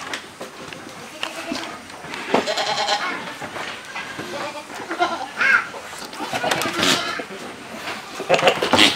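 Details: Tall black male goat kept for breeding on a farm, giving wavering bleats through the middle of the recording amid busy chatter of people and general yard noise.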